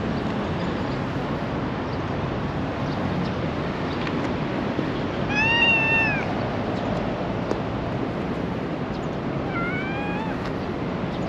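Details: Black female cat with a tiny tail in Japan meowing for affection: two drawn-out, slightly falling meows about four seconds apart over a steady rushing background hiss.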